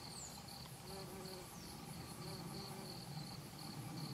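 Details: Worker bumblebees, Bombus hypocrita, gathering pollen and nectar on devil's beggartick blossoms in Japan, late September 2012; a continuous low hum wavers in pitch throughout, while fast regular pulsing insect song rings steadily in the high background.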